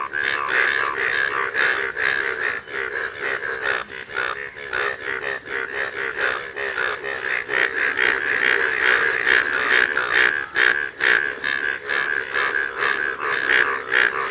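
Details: Chorus of rain frogs out in fields during rain, many callers producing fast, throbbing croaks in a continuous stream, pulses blending into a busy rhythmic wall of sound, with a thin constant high whine behind.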